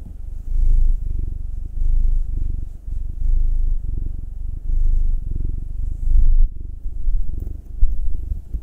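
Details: Purring of domestic cats Will, a black male aged nine, and Anzu, a female Munchkin aged two, while being massaged; low vibrating rumble in breath-length surges roughly every second, with a faint rustle.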